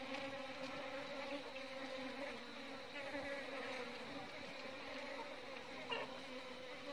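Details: Asian honey bees, Apis cerana indica, in a beekeeping setting: a steady, droning hum with a low fundamental and stacked overtones, continuous throughout, with a brief brighter rasp near the end.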